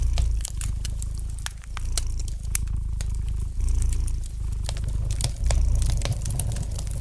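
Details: Gentle purring of a domestic cat by a crackling fire: deep, continuous rumbling that surges in breath-paced waves roughly every second and a half, with bright snaps and pops of burning wood scattered throughout.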